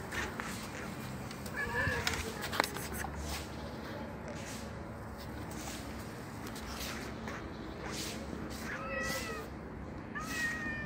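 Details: Black street cat being fed outdoors on a bench, giving two short harmonic meows, one near two seconds and a clearer rising-falling one near nine seconds, over steady outdoor background noise with scattered clicks and handling sounds.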